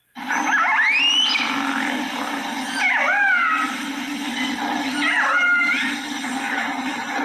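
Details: Orcas trade social calls, sweeping squeals that rise then drop in pitch, with buzzy pulsed tones underneath, over a steady low hum; these are social sounds, separate from their clicking biosonar.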